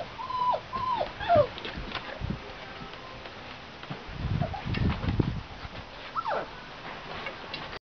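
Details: Five-week-old English Mastiff puppies giving high thin whimpers and whines, drawn out and falling, early on, a few short yips later, with low rustling and bumping noises in the middle.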